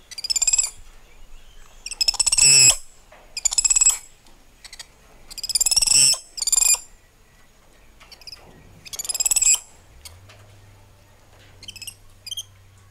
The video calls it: Cute Monkey Sounds